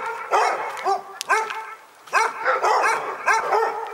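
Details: Barking dogs at Pyrga, loud overlapping yaps in bursts, a brief quieter pause near the two-second mark, then another flurry of high, harmonic barks tumbling over one another.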